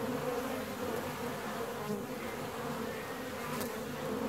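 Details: Honey bees inside hive 4, 17 days after the colony was split, produce a steady dense buzzing hum with a low droning tone that holds level throughout.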